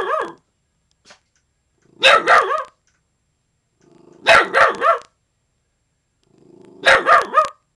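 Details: Young dog Little Man, under a year old, protecting his yard from an intruder, giving loud paired and tripled harsh barks in clusters about every two and a half seconds, each cluster preceded by a low rumble.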